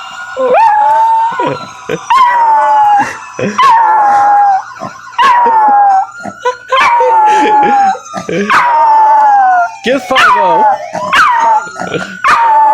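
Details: A young female dog howls at a police siren in high, wavering notes, each drawn out for a second or two.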